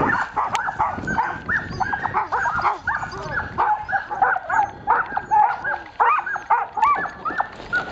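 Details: Samoyed team hitched for dryland carting in cold January wind, yelping and barking in excitement before setting off; quick repeated yips and barks overlapping from multiple dogs, wind noise behind.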